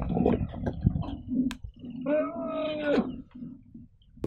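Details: Angry rhinoceros at Kruger National Park, South Africa, during a charge and chase involving another rhino and a car: a drawn-out tonal squeal lasting about a second, dipping at the end, among softer grunts, with people talking and music.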